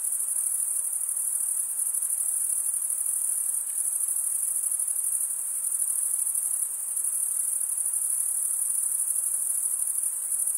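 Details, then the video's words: Unceasing high cricket song from wing-rubbing males: a thin, rapid, buzzing pulse train held at one steady pitch, gently waxing and waning, with no other sounds. "Most relaxing cricket sound for 8 hours"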